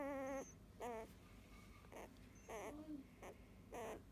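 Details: Eight-day-old field-type Labrador Retriever puppy, held for the first time and very calm, gives about five short, high, whining cries with wavering pitch, spaced roughly a second apart over four seconds, against a quiet room background.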